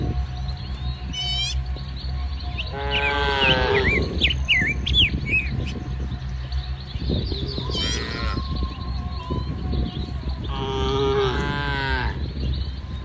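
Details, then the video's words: A herd of tame cattle eating grass in a muddy green rice field on a sunny morning; three long, wavering moos spaced a few seconds apart, with busy bird twittering and a constant low rumble behind. "Suara Sapi Moo"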